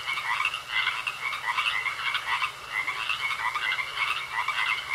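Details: Many frogs croaking together in a pond, busy overlapping bursts of raspy calls swelling irregularly, while a continuous thin high trill holds steady across the chorus.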